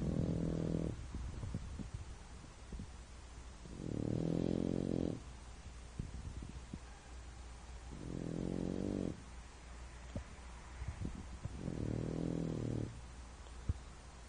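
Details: French Bulldog named Bento, deeply asleep, snores loudly. Each rough, rattling, low buzz lasts about a second, and they repeat roughly every four seconds with quiet pauses and faint clicks between.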